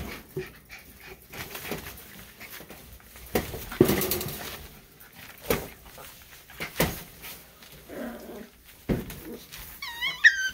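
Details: Miniature Schnauzer. Miniature Schnauzer puppies make brief, high-pitched whimpers and yelping squeaks scattered through the clip. Thumps and scuffles from their movement run throughout, with a clear rising whine near the end.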